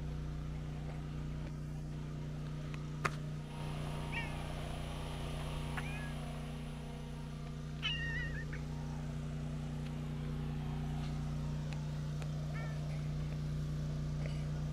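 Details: A tortoiseshell cat, out walking alone without her usual orange tabby companion, answers when called with short, soft, restrained meows, seeking affection, over a steady low hum.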